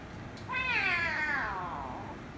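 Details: Angry rescue kitten or ginger kitten indoors: a single drawn-out meow rising then sliding gradually downward, lasting around one and a half seconds, with rich harmonics.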